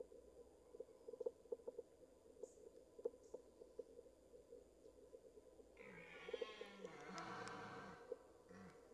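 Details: A red deer stag roars during the 2023 rut, close by, a harsh, low, drawn-out bellow with a rough, breathy edge near the end, after a few seconds of quiet, steady ticking.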